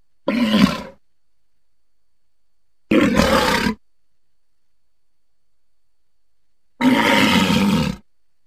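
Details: Walrus giving three short gruff bellows spaced several seconds apart, each under a second long, rasping and mid-low in pitch, with silence between.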